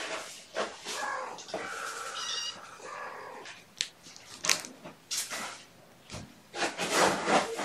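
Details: Mother cat Gamora, a house cat with five kittens born April 14th, calling for her human babysitter on the morning of 2018-06-06; a harmonic, drawn-out meow rises above rustling, thumping handling noise and brief bits of speech indoors.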